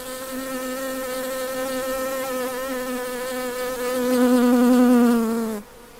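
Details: A western honey bee gives a steady, low droning buzz that swells louder near the end, then cuts off abruptly; the bee is collecting nectar for its colony.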